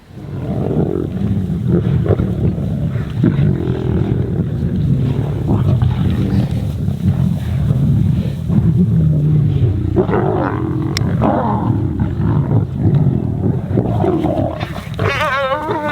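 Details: Kambula Pride lions squabbling over an impala carcass taken from another predator in open grassland, each fighting for its share; a dense, continuous low rumbling growl runs throughout, with rougher snarling bursts toward the end.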